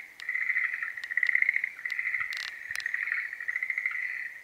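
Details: Schlegel's green tree frogs calling during breeding season. Steady pulsed trills run almost without pause, with brief swells in loudness. Two loud knocks or taps sound near the middle.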